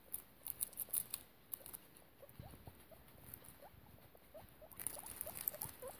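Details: Guinea pig mother and babies in foster care, short upward-sliding squeaks repeated at an even pace, mixed with scratchy rustling and light patter that grows busier toward the end.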